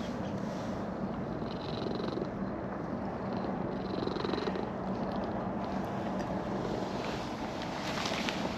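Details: Orange-and-white stray cat in a park, purring with pleasure while being petted after coming down a slope; steady low rumbling purr throughout, with faint traffic hum behind.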